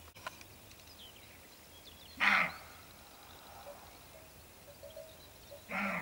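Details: Roe deer (Capreolus capreolus) buck, surprised while lying down at dusk, runs off giving two hoarse, gruff alarm barks a few seconds apart, warning two unseen females of people nearby; quiet background.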